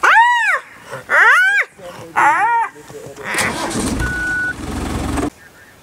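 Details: Spotted hyena squealing while being attacked by an adult of the same clan. Three strong rising-falling wails open the sequence, then a vehicle engine rumbles in and drowns the scene.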